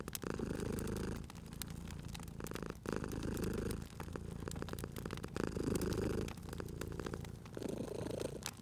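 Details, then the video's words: Sleeping cat purring contentedly at a crackling fireplace on a cozy spring evening; continuous low throaty rumble pulsing in breath-length waves about every one to one and a half seconds, dotted with crisp fire crackles. "Cute Purring Cat at a Crackling Fireplace"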